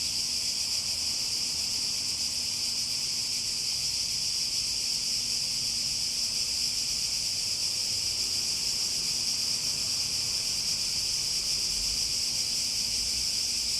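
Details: Long, unbroken cicada chorus, a bright high electric-sounding buzz that never pauses or changes, with a quiet low hum in the background.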